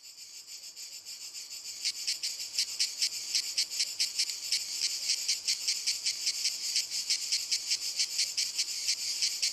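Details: Several cicadas singing in walnut trees: a dense, hissing high buzz that swells after about two seconds into rapid rhythmic pulses, roughly two or three per second, continuing steadily to the end.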